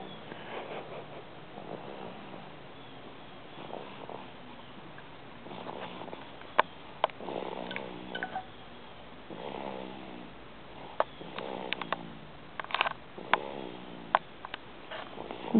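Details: Marcelo the cat asleep, lying on top of its owner, recorded January 14th, 2008: soft rasping snores in slow repeated breaths, each a low buzzy swell fading away, with a few faint clicks between.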